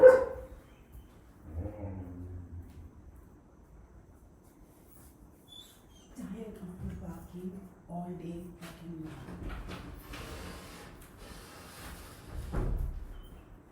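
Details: German Shepherd, a yoga instructor's dog, barking repeatedly during a live class; a few deep, harmonic barks in short bursts, with a woman's voice speaking between and over them in a quiet room.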